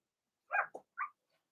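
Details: Blenheim Cavalier King Charles Spaniel puppies from Remy's first litter, born March 7–8, in an indoor home puppy pen during potty training: two short, high yelps, the first a bit longer, then quiet.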